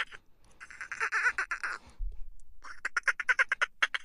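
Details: Dolphin vocalising: a wavering, squealing buzz for about a second and a half, a brief pause, then a quick run of separate squeaky pulses at roughly seven per second.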